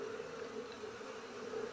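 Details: Honey bee colony during a comb harvest in flowering season: a steady, droning buzz with a low hum, continuous and even throughout.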